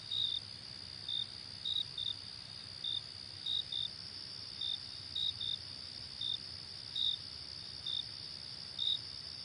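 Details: Cricket chirps, brief and high, arriving in loose pairs every second or so over an unbroken shrill insect hum.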